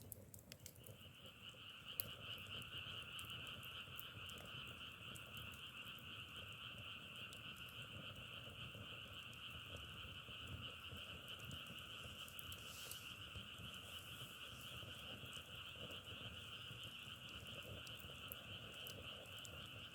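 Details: Unbroken frog chorus heard as a constant two-layered trill, one band mid-pitched and one higher, running evenly throughout while a wood fire snaps and crackles irregularly in the foreground.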